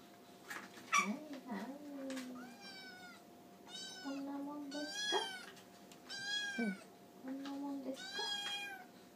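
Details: Japanese tabby kitten crying for food at dinnertime indoors while eating beside two other cats; high, arching meows with rich harmonics come in a string, mixed with a lower drawn-out tone and a faint steady hum.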